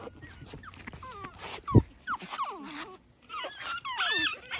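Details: Pekingese puppy outdoors early in the morning, romping about clumsily; thin, high whines that slide downward, given in quick uneven bursts, with a few brighter chirping notes near the end and faint background noise.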